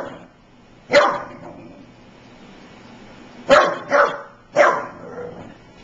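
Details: American Staffordshire Terrier puppy, five months old, barking at running electric clippers it meets for the first time. It gives a single bark, then three more in quick succession, over the clippers' constant droning motor.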